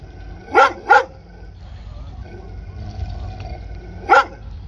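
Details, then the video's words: Dog gives two quick sharp barks, a pause of about three seconds with low background hum, then one more bark. "dog barking sounds"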